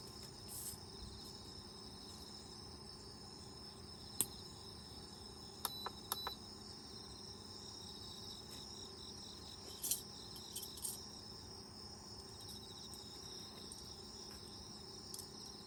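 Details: Autumn insects chirping outside an open lodge tent during countryside camping: a steady, shrill, high chorus of layered trills runs throughout, broken by a few sharp clicks and knocks from camp activity.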